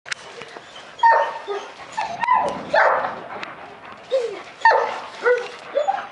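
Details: German Shepherds from the Vom Haus Stanojević kennel, giving a run of short, high, tonal yelps and barks in irregular bursts over about six seconds, some rising and falling in pitch, with no other clear sounds.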